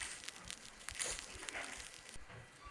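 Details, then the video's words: Snapping shrimp on a coral reef make a dense crackle of sharp, dry clicks, like frying fat or crumpling paper, produced by bubbles from their claws; one of the main sounds heard when diving on reefs. "And this, as you can hear, is a snapping shrimp. It's one of the main things that you hear when you go diving on coral reefs."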